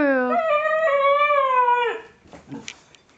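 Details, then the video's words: Female Siberian Husky singing along with its owner: one sustained, rich, harmonic howl lasting about two seconds that rises slightly, holds, then drops away, followed by the owner's encouraging voice and brief rustling. "Beautiful Siberian Husky's Beautiful Singing Voice"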